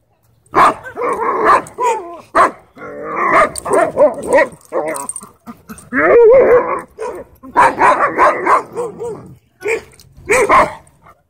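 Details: At a dog park where a wolf dog bullies a husky shepherd with pink eyebrows, loud, close dog vocalizing: sharp barks and yips mixed with wavering, whiny howl-like tones in rapid bursts over about ten seconds.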